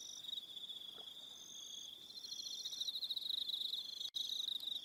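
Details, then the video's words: On an evening in New Zealand's Aroha Island, crickets keep up a constant high-pitched trilling drone with overlapping higher buzzy notes, interrupted once by a sharp click near the end. "1 Hour Relaxing Evening Sound of Crickets"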